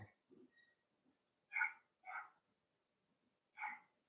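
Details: Cavalier King Charles Spaniel puppies playing in a home puppy pen where they are raised indoors. Three short, bright, harmonic yips sound at about 1.5, 2.1 and 3.6 seconds, with faint scuffling before them.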